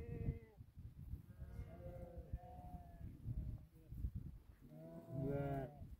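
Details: Sheep from a herd of about 2000 tended by eight Tibetan Mastiffs in rural Nepal; several wavering, harmonic bleats overlap from many animals, loudest near the end, over low rumbling background noise.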